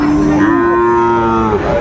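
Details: Sahiwal bull calves at a cattle market, bought by a farmer from Chittagong, Bangladesh, on 24 October 2025: one long, steady, low moo held about a second and a half, dropping slightly at the end, over faint market murmur.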